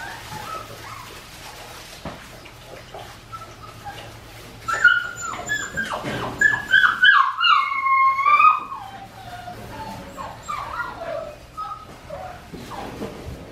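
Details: Australian Shepherd puppies, four weeks and five days old, on a farm: a burst of high thin whimpers and yips, many overlapping falling whines crowded together for several seconds, then tapering to softer scattered whines over a low steady hum.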